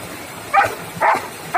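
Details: Long-coated German Shepherd dog named Sandy, kept as a pet in India, gives three short barks, each a clipped broadband burst about half a second apart, over low background hiss.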